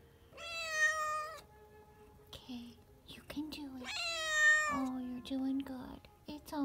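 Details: Newborn kitten, the seventh born in its litter, giving two drawn-out, high meows with rich harmonics, each about a second long, while people talk softly nearby in a small indoor room.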